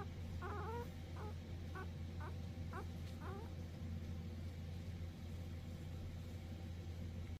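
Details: Three Cavalier King Charles Spaniel siblings produce a quick series of thin, bending whimpers in the first three seconds, each brief and rising-falling, then quiet, with constant low engine-like droning underneath.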